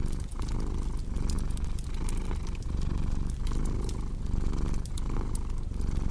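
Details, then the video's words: Continuous deep purring from a cat, pulsing with slow breathing cycles under frequent bright snaps and crackles of a fireplace, blended as calming sleep ambience. "Purring Cat with Cozy Crackling Fireplace Sound"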